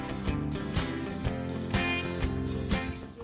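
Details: Strummed acoustic guitar music with a steady beat and a faint voice, and no animal sound.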